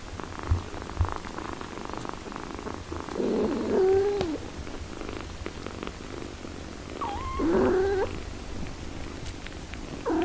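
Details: Mother cat tending her eight-day-old kittens while breastfeeding; two drawn-out, level meows about four seconds apart over a soft purring background, with a brief cry at the very end.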